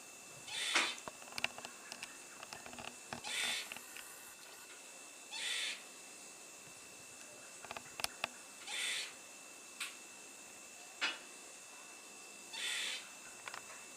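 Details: Squirrel perched on a fence and curling its tail as it makes noise; rasping, breathy bursts about every two seconds, each roughly half a second long, with faint clicks between and a constant high hiss behind.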